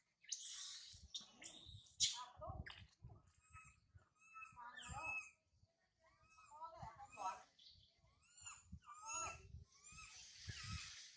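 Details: Infant monkey Sario crying loudly high in a tree after her mother Sarah left her: bursts of shrill, wavering squeals with rising and falling harmonic tones, some harsh noisy cries, repeated with brief pauses across the clip.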